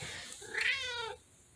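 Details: A female tabby cat gives a single drawn-out meow, rising then gently falling, with rich harmonics, while relaxing indoors.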